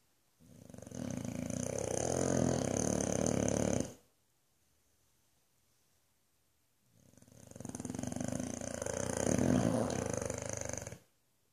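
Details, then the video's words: Boofy the Boxer, fast asleep in Australia, gives two long, gravelly, vibrating snores about three and a half seconds each. A near-silent pause of roughly three seconds separates them. "Australia's Loudest Snoring Boxer!"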